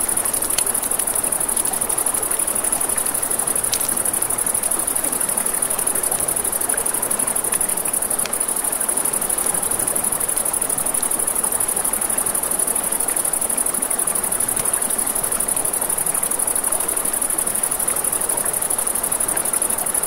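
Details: By a river after dark, crickets keep up an unbroken, thin, rapid pulsing trill high above the murmur of flowing water, with occasional sharp pops of a crackling campfire.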